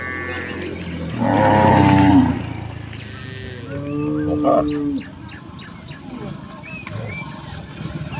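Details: Village cattle herd, mothers with calves, walking back to the farm shed: one loud moo early on, then a softer, lower moo, followed by quieter shuffling and scattered clicks.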